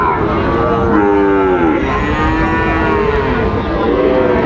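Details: At a busy cattle market in Chattogram, Bangladesh, on 24 October 2025, Sahiwal bull calves around seven months old give several long, harmonic moos that bend downward and overlap, with a constant hubbub of people behind.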